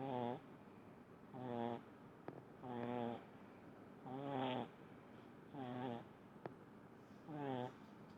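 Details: Small pug snoring in deep sleep indoors: rhythmic, buzzy snorts about every one and a half seconds, six in all, each a short rasping breath, with faint clicks between.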